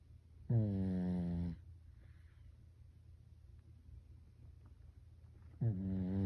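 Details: Byeol, a Pekingese, snores in sleep the way a person does: a one-second grating harmonic snore, a quiet gap of about four seconds, then the next snore beginning, in a small quiet room.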